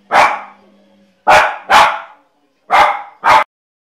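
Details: Exuberant Jack Russell Terrier letting out five loud, sharp barks in rapid succession within about three and a half seconds, mostly in pairs.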